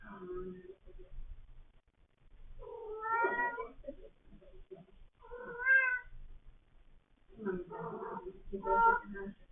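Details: Cats meowing repeatedly: four separate meows a couple of seconds apart, some whining and drawn out, others shorter, with quiet room noise between them.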